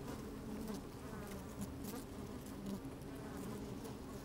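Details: Honey bees busily working inside an opened hive on a fine, sunny day, recorded with a microphone slid down into the hive: a dense, steady low hum with faint higher buzzing strands and light wind rumble.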